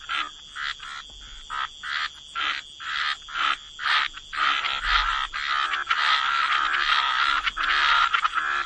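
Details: A chorus of frogs in wetlands by the water, with short buzzy croaks repeated almost twice a second at first, then merging into a denser, overlapping rasping chorus.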